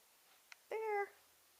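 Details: A male Ocicat hunting for treats for the first time gives one clear, steady meow of under half a second, evenly pitched and then trailing slightly downward, after a faint click, in a quiet setting.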